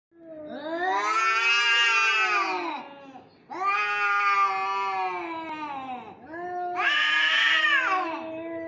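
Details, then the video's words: Cats fighting, giving three long drawn-out yowls of about three seconds each, rising then falling in pitch with rich harmonics, the last one higher and harsher. "Cats Fighting With Sound"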